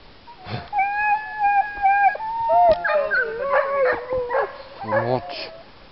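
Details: Two dogs harnessed for a bikejoring training run at Sowinki in January 2015 howl excitedly before the start: drawn-out tonal howls and whines, some wavering and stacked, over a man talking in Polish while fastening harnesses.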